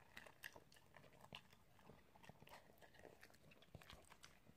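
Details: Italian greyhound eating indoors, recorded as ASMR: sharp crunchy bites and clicks, several per second, with brief louder snaps near the start and end over a quiet room background.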